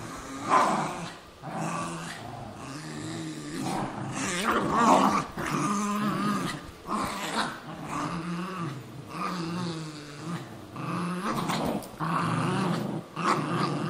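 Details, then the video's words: Cairn Terrier and Jack Russell Terrier, two pet dogs indoors, fighting over an old golf glove; continuous rough growling with pulsing low harmonics, rising and falling in bursts, short breaks between snarls. "Carrin Terrier VS Jack Russell Terrier"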